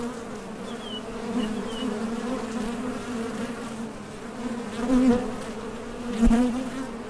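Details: Bees coming and going at a Top Bar Hive entrance while foraging for nectar, their thoracic-muscle buzz a continuous low hum that swells twice toward the end, with one sharp click and faint high chirps early on.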